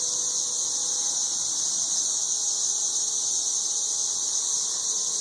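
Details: Ridiculously loud chorus of thirteen-year periodical cicadas near a porch in Nashville, Tennessee: an unbroken, shrill, hissing drone, with a faint low tone sounding underneath.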